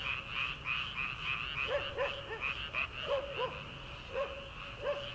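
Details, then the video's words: Early-summer paddy frogs before rice planting: dense, repeated arched croaks, some doubled, about three per second, layered over a continuous shrill chorus from many more distant frogs. "초 여름 개구리 울음소리/ 논에서 들리는 개구리 소리"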